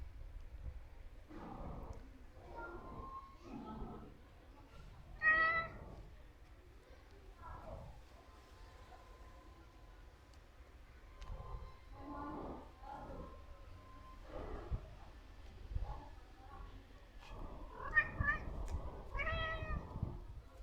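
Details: Domestic cat walking repeatedly around a person, giving a string of short harmonic meows, some rising then falling, spaced irregularly every second or two, with a steady faint hum and soft human voice in the background.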